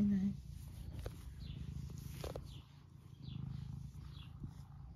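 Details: Eric, an 11-year-old semi long-haired domestic tabby cat in the UK, purring while being stroked and wanting attention; steady low rumbling purr with faint rustling and a brief soft voice.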